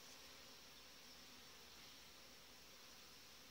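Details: Steady droning hum of a populous honey bee colony in July, with a good breeding queen, heard through continuous even hiss, the low buzz holding level throughout without breaks.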